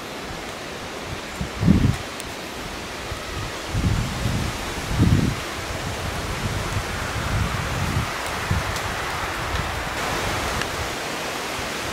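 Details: Forest walk with wind, rustling leaves and a few soft thumps of footsteps, with no animal voice.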